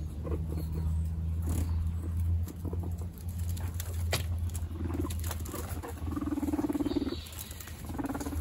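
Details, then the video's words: Guinea pig brothers fighting for dominance: a deep, pulsing low rumble that throbs steadily through most of the clip, with a brief higher tonal squeal near the end and scuffling movement throughout. "Guinea pig brothers fight for dominance"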